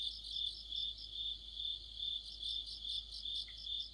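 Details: Deep-autumn cricket chorus with other insects: regular high chirps pulsing steadily a bit over twice per second, a higher, softer pulsed trill above, and a faint brief chirp toward the end.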